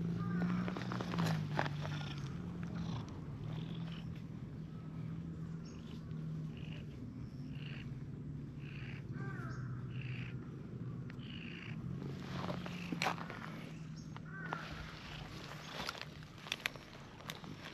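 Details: Stray cats in a park, a friendly orange-and-white cat being played with while a plump brown tabby approaches; steady low purring runs throughout, with scattered brief higher chirps and light rustling outdoors.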